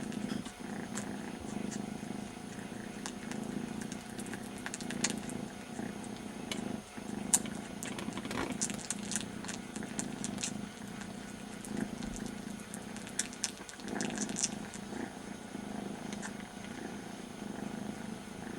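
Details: Two very young kitten brothers, one missing his mother and licking the other's ear as a substitute; a continuous low rumbling purr runs throughout, overlaid by wet licking clicks and brief rustles.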